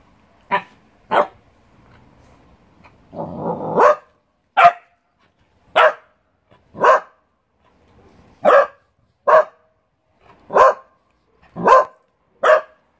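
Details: A 2.5-year-old Dachshund barks sharply and repeatedly, about once a second, demanding attention.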